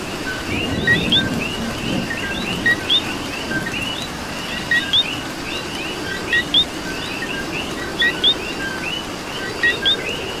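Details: Puerto Rican coqui chorus in the rain: a foreground frog repeats its two-part call about eight times, a brief lower note snapping up to a higher whistled chirp, against a continuous wash of distant frogs and rainfall.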